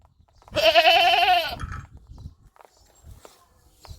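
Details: Single drawn-out goat bleat, a nasal wavering cry lasting about a second, followed by quiet rustling and faint background noise.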